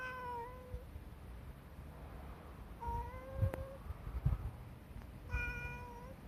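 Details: Under a parked car, a friendly tabby cat stays put and keeps calling. Three long, level meows are spaced about two and a half seconds apart, with faint clicks and low rumble in between.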